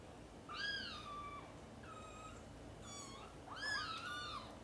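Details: Mother domestic cat calling her kittens, which are busy playing and sleeping, to wake them for lunch time; four harmonic meows follow one another over a few seconds, the last loudest and most drawn out, in a quiet room.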